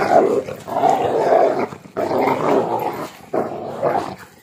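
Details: Pitbull mix and husky in a tug of war with a shoe, growling loudly; three long rough snarling growls with short breaks between them.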